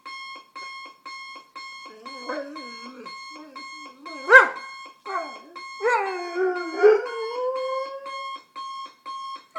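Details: Adenine, a two-year-old male German Shorthaired Pointer, reacts to a morning alarm clock indoors with short wavering whines and rising yelps between steady, repeated electronic alarm beeps that dominate the background.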